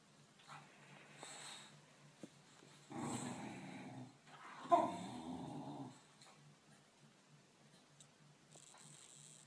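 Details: A French Bulldog puppy lets out two throaty, snorting grumbles of a second or more, deep and raspy with a growl-like edge, in a quiet room with a faint hum and a person's voice nearby.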